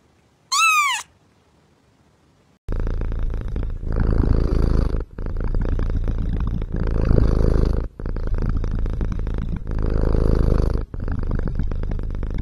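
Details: Kitten sounds: one short rising-then-falling meow, a pause, then long loud rumbling purring in bursts of one to three seconds separated by brief breaths.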